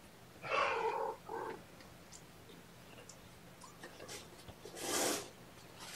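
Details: Young foster kittens indoors during a morning feeding with syringe formula; two short, tonal mews close together early on, then quiet room tone and a brief broad rustling burst near the end.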